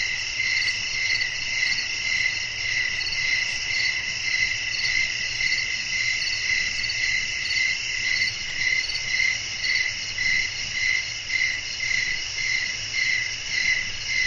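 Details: Crickets chirping through a quiet night outdoors: evenly spaced shrill chirps, close to two each second, sit over a constant buzzing trill, while a gentle low rumble runs steadily throughout.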